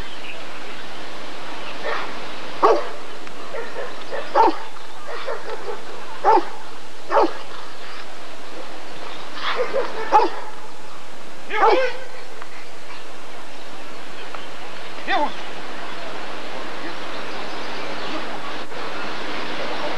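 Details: Rottweiler barking at the 1994 ADRK Körung breed survey: short, sharp, broadband barks come singly or in pairs at irregular gaps of one to three seconds, over a steady low hum and faint background noise.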